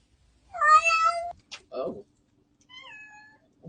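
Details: Domestic cat indoors, from a compilation of cats and kittens: one drawn-out, steady meow lasting under a second, followed by a short human exclamation, then a second, softer meow that slides downward in pitch.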